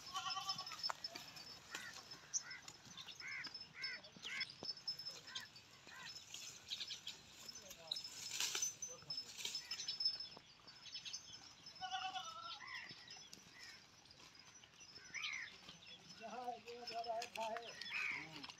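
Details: Short quavering bleats from a large Pahari goat in Pakistan come in scattered bursts, the clearest near the middle and the end, with voices and background chatter throughout.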